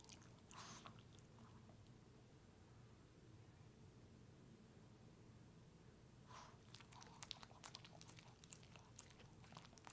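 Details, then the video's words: A dog named Pepe, a puppy, eats a peanut butter treat. Soft wet smacks and licks come in short bursts near the start and again through the second half, over a steady low hum. "Watch my dog eat peanut butter!"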